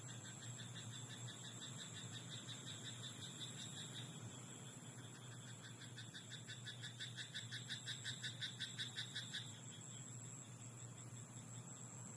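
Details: Frog in a night-time rice paddy: faint pulsing early on, then a strong, quick rattling croak train building from about six to nine seconds before stopping, over a background hum and a thin high tone.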